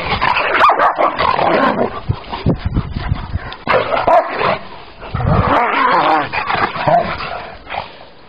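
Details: Rottweiler playing with a wolf at a park: rough, throaty growls and snarls mixed with short barks in irregular bursts, with heavy scuffling and a woman speaking French in the background.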